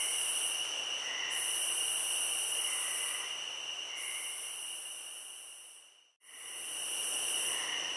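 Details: Crickets trilling continuously at high pitch, with long buzzy high phrases pausing briefly between them and faint soft notes below; the sound dips to silence for a moment before resuming.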